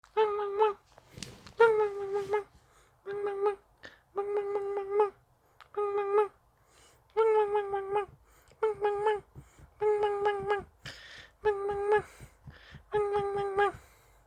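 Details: Dachshund kept indoors, whining to ask for play: a series of about ten tonal, nasal whines, each roughly half a second to a second long, steady in pitch and spaced irregularly, with a quiet room between them.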